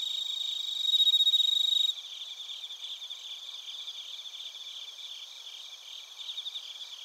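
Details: Bell crickets and other crickets recorded in Narita, Chiba Prefecture, Japan, on a TASCAM Portacapture X8: a dense high chorus of pulsed chirps, with a louder clear ringing trill from about one to two seconds standing out over the steady insect background.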